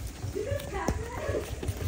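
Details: Six-week-old West Highland White Terrier puppies from Princess Fiona's litter, about to be let out to play, give high, thin whimpering squeals that arch up and down, over a man's voice and pattering paws.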